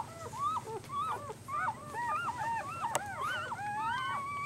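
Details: Newborn puppies, 24 hours old, give a steady stream of overlapping high whining squeals. Each is a short arched note that rises and falls, and several pups call over one another almost without pause. There is a faint background hiss and one brief click.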